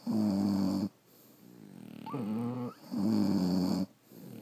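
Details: Sleeping French Bulldogs snore indoors: two steady buzzy harmonic snores separated by a rising nasal whistle-tinged breath, then silence.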